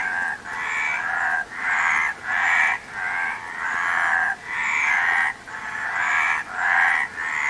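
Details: Many frogs calling together, each grating, pulsed croaking burst lasting about half a second to a second, in a near-unbroken rhythm with short gaps and no other clear sounds.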